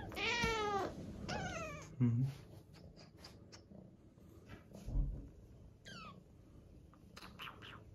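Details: House cat fed raw food lets out two loud, harmonic meows in quick succession at the start. Soft thumps, faint clicks and brief chirpy squeaks follow in a quiet indoor room.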